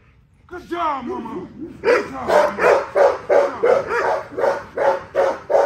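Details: An XL American Bully worked out for exercise gives a short wavering whine, then a steady run of about ten strong barks in quick succession.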